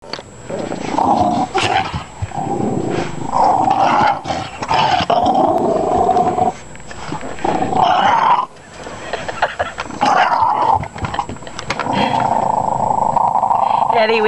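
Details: Small pet dog named Eddie growling indoors while people try to take away his bone, refusing to give it up; low continuous growls in long bouts broken by short pauses, with a person speaking.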